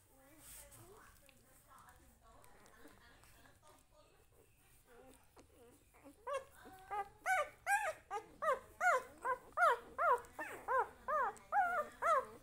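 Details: Puppy with its family, indoors: soft murmuring at first, then from about six seconds a run of loud, high, arched whimpers and yelps repeated roughly twice a second, with people talking.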